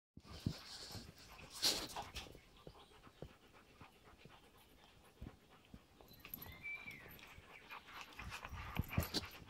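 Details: Adult Belgian Malinois staying patient with a two-month-old female puppy; soft breathy panting runs throughout, with scattered rustles and a faint thin whine-like tone near the six-second mark.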